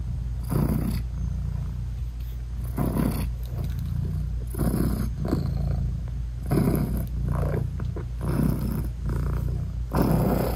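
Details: British Shorthair mother cat nursing her newborn, eyes-closed kittens indoors: steady low rumbling purr throughout, swelling in breathy pulses about every two seconds as she inhales and exhales, with no music added.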